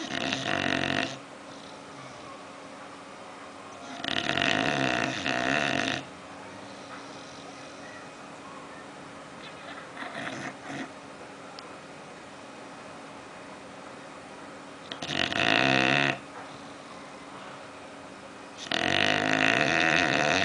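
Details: Bulldog Oliver sleeping and dreaming, with five rough, buzzing snores over twenty seconds, each one to two seconds long, spaced by quiet breathing and small snuffles.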